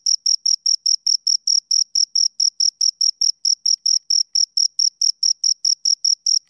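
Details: A pair of crickets chirps near the ear: crisp, very high pulses follow one another about four times each second in a regular, unchanging rhythm, with no other sounds present.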